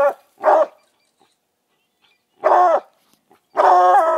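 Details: Walker coonhounds at a raccoon treed: three separate barks, a short one, then a longer harsh one after a pause, and a final drawn-out bay beginning, otherwise quiet.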